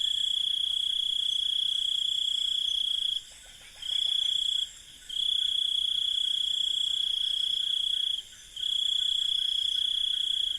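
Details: A cricket trills steadily on one high pitch, in long unbroken stretches with brief pauses, over a faint hum of other night insects and birds in an Indian village at night.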